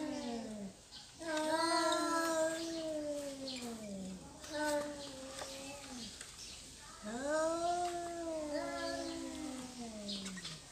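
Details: Cats squabbling over territory, drawn-out moaning yowls that slide downward, three long wails separated by short pauses, one voice answering another.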